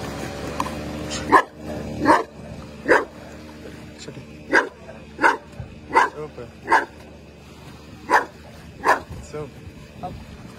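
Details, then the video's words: Belgian Malinois vocalizing while swimming: about ten short, harmonic yelping calls in a fairly steady series, roughly one every 0.8 seconds, over a low steady background hum. "Belgian Malinois - Advanced level ⚠️ Have you ever tried to talk while swimming !!!"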